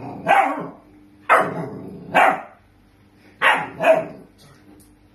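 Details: Dog indoors after flooding a kitchen, giving five loud, harsh barks spaced about one second apart with a quiet gap in the middle; a low steady hum underneath.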